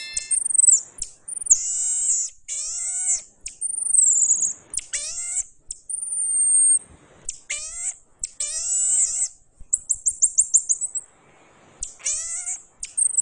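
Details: High, piercing whistled notes from a pygmy marmoset, long level tones and downslurred chirps in irregular bursts, ending with a fast run of rapid trilled pulses near the end; little other sound.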